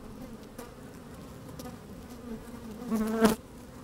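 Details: Inside an open beehive on a sunny, slightly windy day, honey bees moving about: a soft continuous hum, then a sharp loud buzz rising near the end as one bee passes close to the microphone.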